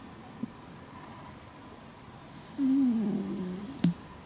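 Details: Sleeping Shiba Inu, a red female lying on her back in deep sleep. After a quiet stretch, a low, droning snore slides slightly downward and turns rough, then a sharp click follows.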